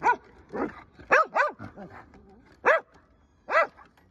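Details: Taiwan dog, also known as Carolina dog or American dingo, giving short arched yowling barks, several in quick succession then spaced single calls about a second apart, with quiet pauses between.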